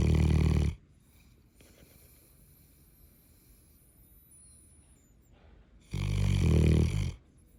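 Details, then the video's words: Callie, a Neapolitan Mastiff, snoring very loudly: deep, rumbling rattling snores, one at the start and another about five seconds later, each lasting under a second, with near silence between. "Callie snores SO loud"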